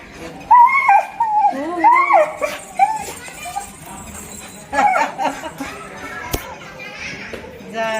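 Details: A Rottweiler, excited after watching kids playing, gives wavering whines and yodel-like moans, with people talking nearby.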